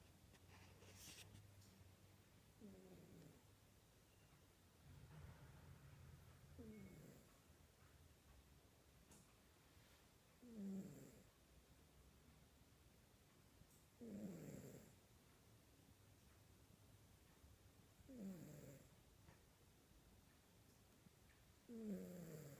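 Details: Sleeping domestic cat snoring indoors, soft low breathy snores with a raspy rise on each breath, roughly every four seconds, growing clearer toward the end over faint room noise.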